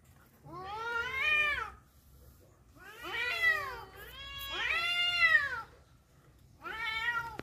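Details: Rival cats brawling over a female trade four long arching caterwauls, each rising then sliding down, rich in harmonics, spaced roughly two seconds apart with brief quiet gaps.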